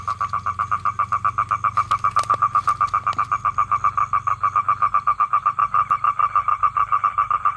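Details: Male toad calling to attract females for mating: a long, steady trill of rapid, evenly spaced pulses at a fixed mid pitch, unbroken throughout, over a faint low rumble.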